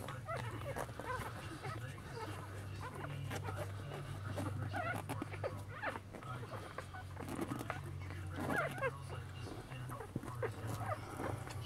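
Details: Newborn Lhasa Apso puppies from a litter of eight, born on Elvis Presley's birthday and lying with their mother Sweetie Pie, give many thin, high squeaks and whimpers that rise and fall. A steady low hum runs underneath.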